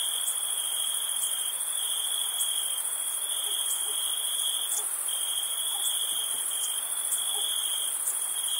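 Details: Crickets trill steadily on a summer night at a campsite, a high continuous ringing chorus with faint pulses layered above.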